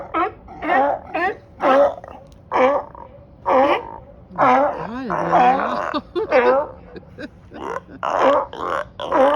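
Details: Many sea lions and seals on a dock in Marina Del Rey, California, bark in loud, hoarse, honking, Yeti-like bursts, one after another at about one per second, some in the water, loud enough to wake people.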